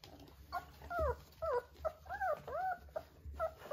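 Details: Three-week-old Vizsla puppies with their mother, high thin whines rising and falling in arched slurs, several overlapping in quick succession, some short squeaks between, indoors.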